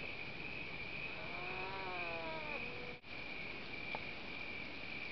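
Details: A North American beaver on Slocan Lake, British Columbia, one of a pair swimming along a cliff shore and calling to each other; a drawn-out whine of over a second, slightly falling at its end, amid steady hum and background noise.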